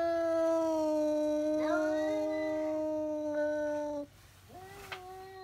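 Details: Indoor cat yowling because another cat is outside; a steady, long, droning wail with a brief wobble midway, ending, then a quieter rising cry after a pause.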